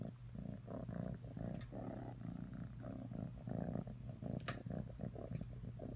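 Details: Atreyu the cat purring steadily, a deep throbbing rumble in breath-paced bursts, with a sharp brief click partway through.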